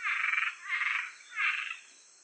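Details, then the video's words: A Cuban treefrog (Osteopilus septentrionalis), recorded in Georgia, USA, gives three rasping, snoring croaks, each about half a second long. "Cuban Treefrog"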